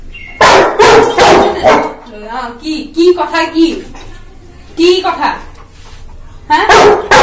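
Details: An 11-month-old Labrador Retriever arguing with its owner at full voice: bursts of two loud barks at the start and end, between them wavering groans and whines rising and falling, and a person speaking.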